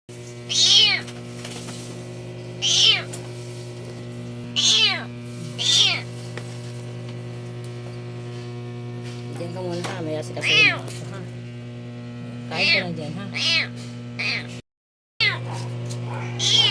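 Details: Kitten with paws crushed under a vehicle, rescued and being fed, meows repeatedly in loud, high, drawn-out cries, first several sharp ones then softer broken calls, with a person talking quietly in between and a constant low hum beneath.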